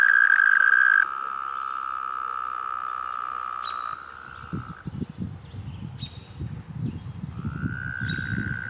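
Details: Toads recorded in 2016: a loud, steady, high musical trill holds for about a second, then a second long trill carries on for nearly three seconds, and another trill rises in near the end. Low rumbling background noise.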